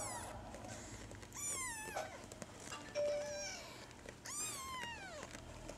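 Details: Kittens, dated 16 April 2013, giving several high, thin meows that bend downward, separate calls spaced about a second apart, plus one brief steady tone near the three-second mark over a quiet indoor background.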